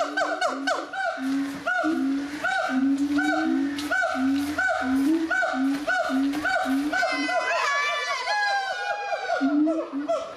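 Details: At the Zoo de Doué la Fontaine, France, gibbons sing in 2010: a regular series of sliding whoops roughly every half second, then a climbing, accelerating high-pitched trill near the end, with lower hoots returning.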